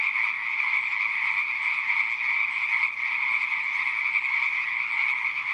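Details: Frogs calling in a pond, a dense, unbroken chorus of many overlapping high trilling voices that holds steady and even throughout, with no other clear sounds.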